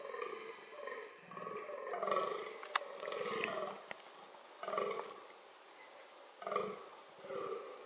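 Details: Fallow deer during reproduction, producing hoarse grunting groans in short clusters separated by pauses, with a sharp click near the three-second mark and a high whine early on.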